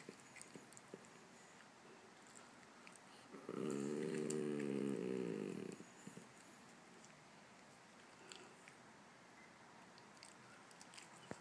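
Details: A Chihuahua, unwilling to share with a poodle, gives a single sustained throaty growl lasting about two seconds in a quiet room, with faint clicks and small knocks before and after.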